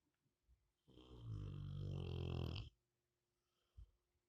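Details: A sleeping Rottweiler gives one long, deep, rattling snore that swells and then cuts off.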